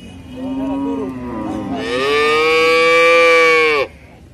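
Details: Cow mooing: a long, loud, steady low-pitched moo with rich stacked harmonics held for about two seconds, preceded by quieter wavering lowing and ending abruptly.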